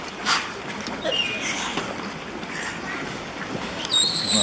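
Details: Pacific white-sided dolphins Hannah and Helen, captive at the Vancouver Aquarium on a chilly afternoon, give thin rising and falling whistles with scattered clicks, while a crowd murmurs and water splashes around them.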